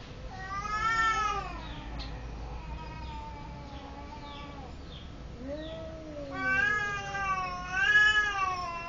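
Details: Cat meowing repeatedly: a long wavering meow, a quieter stretch with faint chirps, a short falling mew, then two loud rising-and-falling meows near the end.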